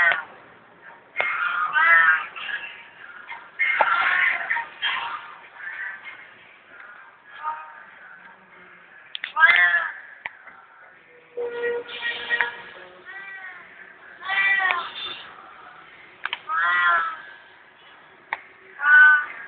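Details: Hungry cat asking for food indoors, letting out a series of drawn-out, arching meows every few seconds, some rising then falling, mixed with human voices and occasional taps.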